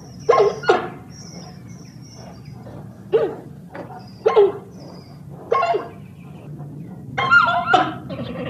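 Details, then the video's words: Giant panda giving short, sharp squeaks and yelps in scattered pairs and singles, each rising and falling quickly, over a steady low background hum. "FUNNY PANDA BEAR NATURAL SOUNDS"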